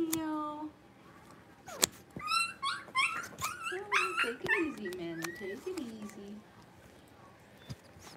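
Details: Blenheim Cavalier King Charles Spaniel puppies from a litter of five, playing in an indoor puppy pen. A run of high, wavering yips and whines rises and falls over several seconds, with sharp knocks between them and quieter whimpers trailing off.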